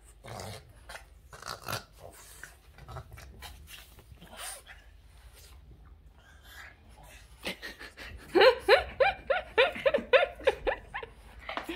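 A Boston Terrier breaks into a quick run of high, sharp, excited barks after a quiet start.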